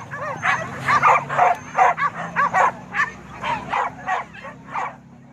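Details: Boar-hunting dogs at Kayu Ampek, Tanjung Emas, Tanah Datar yelp and bark rapidly, about a dozen shrill barks in five seconds, somewhat irregular and overlapping, above a steady low drone.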